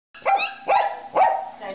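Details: Dog barking: three short, bright yappy barks about half a second apart, each with a sharp rising onset and ringing harmonics, in a muffled indoor setting.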